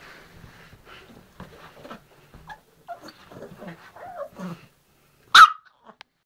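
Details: Pet dog producing soft whiny, grumbling noises likened to a gremlin, a string of low murmuring whimpers over four seconds, then one sudden loud sharp bark near the end.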